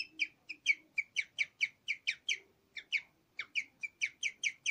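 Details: A pet guinea pig (Cavia porcellus), female, about five years old, in her last recording before dying on 31 October 2020, chirps or "sings": a steady string of high, bird-like squeaks several times a second.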